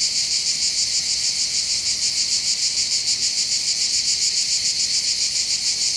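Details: Cicadas in full chorus on hills overlooking the port of Bandol, southern France, by the Mediterranean: an unbroken, high, rasping drone pulsing rapidly and evenly, nothing else clearly heard.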